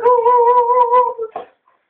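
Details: Beagle named Oliver holds a long, level, mournful howl for over a second that breaks into a brief rough note at the end, in a quiet room.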